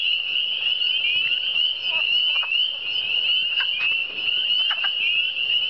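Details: Eastern Townships frogs in full chorus: shrill, overlapping rising peeps merge into an unbroken high band, while a few brief clicks and short knocking sounds come through in the middle.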